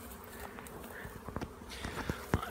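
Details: Flying honey bee swarm near a bee yard, heard before it was seen and recorded on a phone: low steady buzzing hum with a run of sharp clicks and knocks toward the end.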